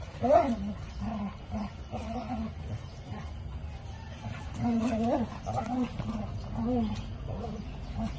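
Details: Dogs described as happy, giving a run of short, tonal, whining vocalizations with rising and falling pitch, clustered in bursts, loudest near the start and again around the fifth second, over a low background rumble.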